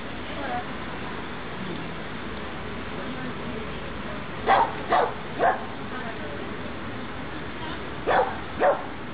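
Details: Pixel, a dog at obedience practice, 23 June 2012: a burst of three sharp barks, a pause of about two seconds, then two more barks, all rising clearly above a constant hissing background.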